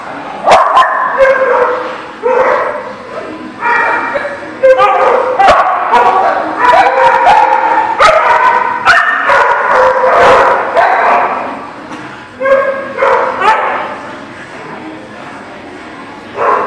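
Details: Dogs barking and yipping almost nonstop, rapid overlapping barks of varied pitch with high yips among them, brief pauses near the end and faint voices underneath.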